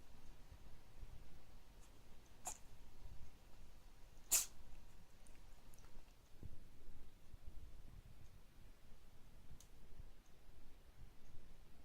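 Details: A cat that cannot stop sneezing: two sharp, explosive sneezes a couple of seconds apart, the second louder, with faint snuffling breaths and quiet indoor background between them.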